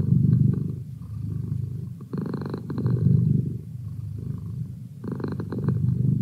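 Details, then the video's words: A cat's soft, low purr alternating between quieter rumbling and fuller, louder bursts as it breathes in and out, the stronger phases returning about every three seconds. "Cat Purr"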